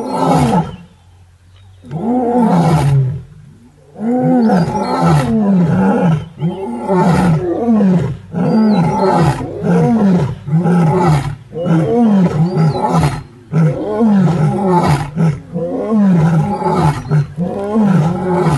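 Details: A six-male lion coalition and the Paradise pride pause from a hippo meal on Paradise plains, Maasai Mara, in March 2023 for a group roar: long chorus of deep, rhythmic grunting roars, overlapping, repeated roughly every second.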